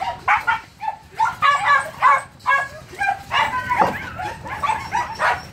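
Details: Young Phu Quoc Ridgeback at a Saigon kennel, trained to hunt rats, lets out bright high yips roughly every half second, each short and harmonic-rich, over a steady low background hum.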